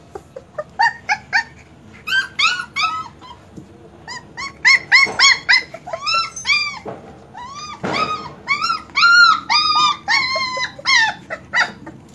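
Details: German Shepherd puppies calling in a dense overlapping chorus of high, arching whimpers and yips, several voices at once, short cries repeated rapidly with brief gaps, strongest in the second half.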